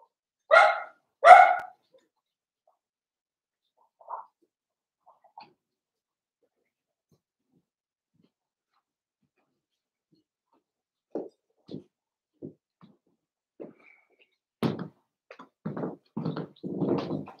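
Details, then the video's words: Cavalier King Charles Spaniel puppies playing indoors in a home puppy pen: two loud harmonic barks at the start, a few soft yips, then a run of short yaps and scuffling growly sounds near the end. "Cavalier Puppies Live: Puppies Playing"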